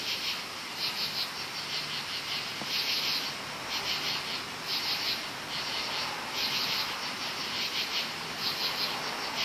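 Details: Loud crickets at night in woods, many together, giving high pulsed trill bursts about every one to two seconds over a continuous shrill background chorus.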